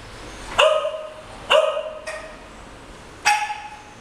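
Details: English Cocker Spaniels, two pet dogs, playing on a bed indoors; four sharp, bright barks come at uneven intervals over a few seconds, each a quick yelp with a short falling tail, against a quiet room hiss.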